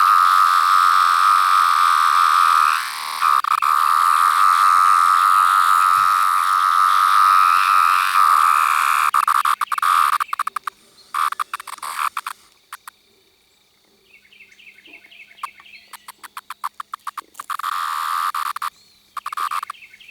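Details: Larger 17-year cicada variant with yellow-brown striping under the abdomen, recorded up close: a steady, loud mid-pitched whine holds for about ten seconds, then breaks into choppy bursts and short pulses with gaps of near silence.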